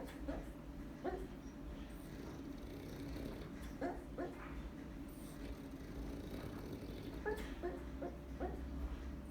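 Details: Sleeping dog named Chachi gives repeated short, muffled yips and woofs, scattered across several seconds, some in quick pairs, against a constant low background drone.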